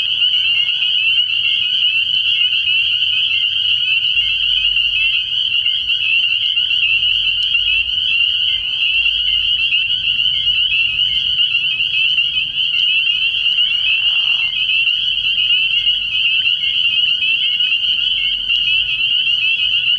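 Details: Many spring peepers at a frog pond at night early in the year, their high peeps blending into an unbroken shrill chorus; a low rumble and a short deeper call near the middle sit beneath it.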